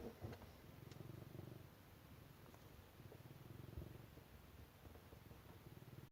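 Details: Continuous low purring from a pet cat, rapid soft pulsing rumble lasting the whole stretch, with faint ticks and a few scattered clicks over it.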